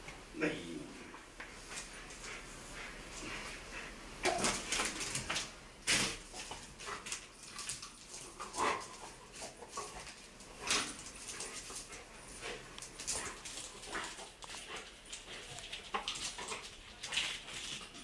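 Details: A pit bull playing with a tyre gives short growls, whines and huffs in bursts while a person speaks; Chioggia, Italy, 11 June 2009.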